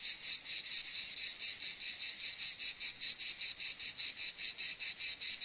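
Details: Cicada giving a loud rasping buzz, broken into quick, even pulses about five per second, sustained throughout without other noises.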